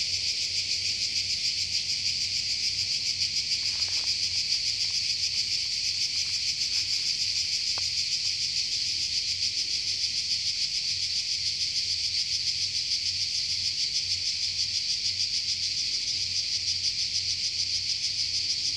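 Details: Forest cicadas in Croatia keep up a shrill, sizzling drone with rapid regular pulses, unchanging from start to finish; a few soft clicks appear early on beneath the buzz.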